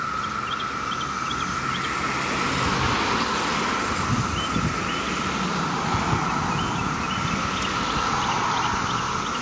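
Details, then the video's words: Rare 17-year cicadas massing in Maryland on a summer day: one continuous, shrill, droning chorus over a background of passing street traffic and faint bird chirps. "The 𝗿𝗮𝗿𝗲 sound of 17-YEAR CICADAS!!"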